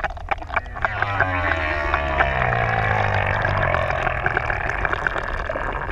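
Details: Humpback whales, six adults, singing in the deep open sea off ʻEua, Tonga; a sustained rough moan with layered harmonics, a lower note sweeping downward beneath it, with crackling clicks and water noise.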